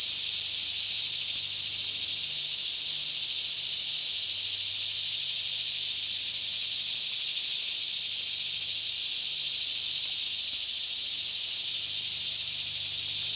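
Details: Forest cicadas near Franklin, Kentucky, singing all around in a mid-morning chorus around 10am under still conditions, recorded in stereo on a Canon 5D Mk2; constant high, hissing buzz, steady in loudness from start to end.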